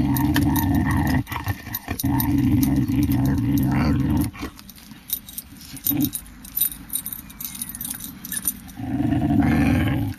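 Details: Pet female whippet growling in low, rumbling bursts: a long growl at the start, another lasting about two seconds, a quieter stretch with faint clicks and rustles, then a final rumbling growl at the end.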